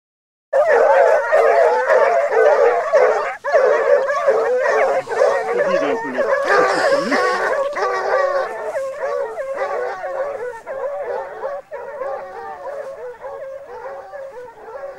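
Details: Several Basset Hounds trailing scent together. A dense, continuous chorus of overlapping bays and howls runs for the whole stretch, with many voices calling at once and barely any pause between cries.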